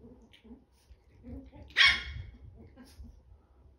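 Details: Ten-week-old Chihuahua puppies playing with toys indoors; one sharp, high bark bursts out midway, surrounded by soft scuffling, low thumps and faint whimpering noises.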